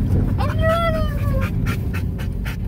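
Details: Pet dog yodeling in a car: one drawn-out, arched, harmonic wail lasting about a second, first rising then falling, followed by quick panting breaths over a steady low engine rumble.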